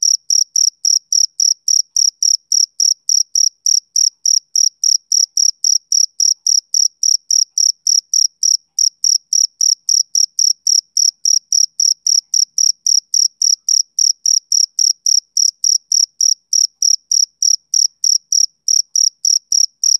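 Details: Rhythmic chirping of a male cricket on a summer evening: bright, high-pitched pulses about three to four per second, a few brief gaps breaking the otherwise even beat, against silence.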